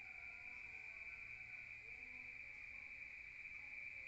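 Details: Countryside crickets at night, heard through the walls of a room: a constant shrill ringing that holds one pitch from start to end, with a quiet low background hum.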